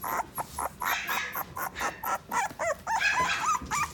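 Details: Short burst from a toy poodle in the Odawara branch of the Inu no Ie pet shop: quick, sharp yelps repeated several times a second, ending in rising and falling squeaky whines.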